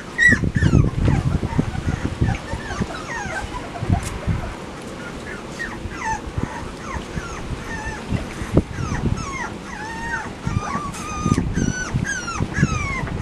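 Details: A litter of Labrador Retriever pups kept in a run with parents Max and Whitney, 10 September 2015: many thin, rising-and-falling squeals and whines, crowding together near the end, over bumping and rustling noises.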